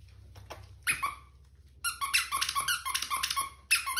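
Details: Six-week-old miniature schnauzer puppies of the Kizzy/Teo litter, raised by breeders: a faint squeal near the start, then a rapid burst of high, harmonic squeaks and yelps, several overlapping, with one last sharp squeal at the end.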